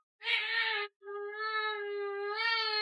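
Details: Domestic cat indoors giving a short clear meow, then a long sustained, steady tonal meow of nearly two seconds that rises slightly at the end.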